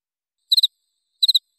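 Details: Cricket (jangkrik) chirps from a masteran track made to tutor songbirds such as murai, cucak ijo, kacer and cendet: two short high trilled chirps, each of three quick pulses, about 0.7 seconds apart, on an otherwise silent background.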